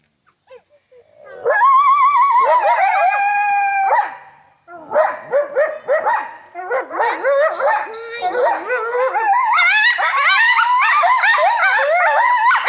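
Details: At the Alaska Zoo in Anchorage, Alaska, coyotes howl loudly, one long steady note followed by a chorus of wavering yips and quavering cries.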